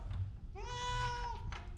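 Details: Orange pet cat suffering a cough and cold, one drawn-out meow that rises briefly then holds steady before fading, with quiet room noise and a brief voice at the end.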